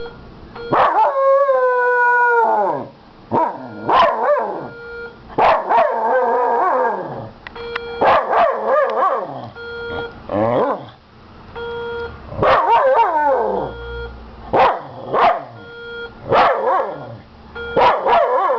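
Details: Hobie, a Miniature Schnauzer, barks at a fire alarm: a long wavering howl-whine opens, then clustered yelping barks and rising howls come in rapid bursts over the alarm's steady, pulsing electronic tone.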